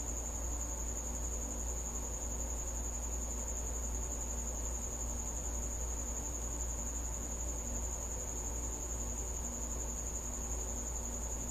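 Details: Nighttime cricket at a house, its thin high trill running without pause at an even pitch across the whole stretch, backed by a persistent deep droning noise.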